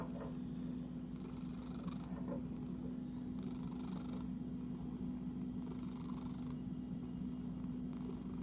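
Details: Steady low purring from an itchy pet cat, an unbroken throaty rumble with faint rustling and soft movement noises layered above it.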